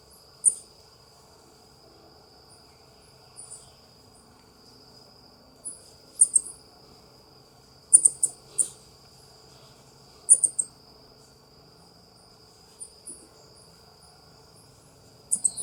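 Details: South American coati (ring-tailed coati, Nasua nasua) giving sharp, high-pitched chirps in short clusters every few seconds, with a steady high whine and faint low hum throughout.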